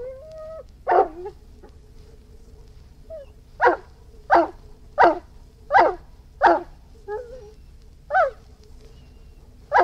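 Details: Opening with thin, high whines, an Irish Wolfhound breaks into a series of about ten harsh barks, with short whimpers in between and a low steady hum.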